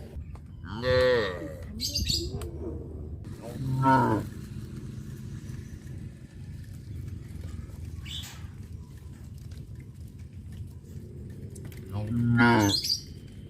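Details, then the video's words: Village farm cows on the road by the fish ponds, going out to graze; three separate deep lowing calls spaced several seconds apart, with a low hum and quiet gaps between them. "Sound of cows"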